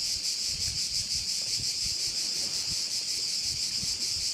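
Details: On Korčula, Croatia, crickets fill a bay with an unbroken, shrill, high trilling drone, finely pulsed, while light wind rustles low in the background.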